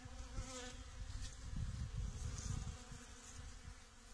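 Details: Bees pollinating Datura flowers: a low, fluttering buzz that swells and fades continuously throughout.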